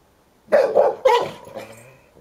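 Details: Play between a ten-year-old Hovawart keeping hold of his toy and a boisterous one-year-old American Staffordshire Terrier: after half a second of quiet, two loud, rough barks in quick succession, trailing into a fading growly tail.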